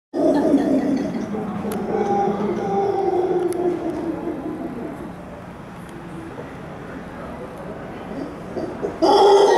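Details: Howler monkeys at Hotel Capitan Suizo give deep, rolling roars that swell and fade in a continuous, throaty chorus.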